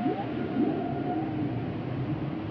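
Humpback whale song: low, drawn-out moaning tones with faint higher wavering notes over steady ocean noise.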